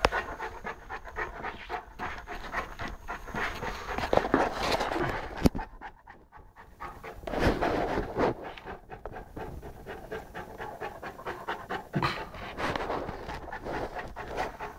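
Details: Saint Bernard puppy Lara, 11 months old, pants while playing with a pygmy rabbit; rapid irregular breathy pulses, a sharp click, a short quieter gap, then panting resumes.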